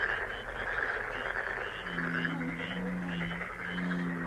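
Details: Lucky-frog relaxation sound: a continuous chorus of croaking frogs with quick pulsed calls on top, joined midway by a steady low humming tone.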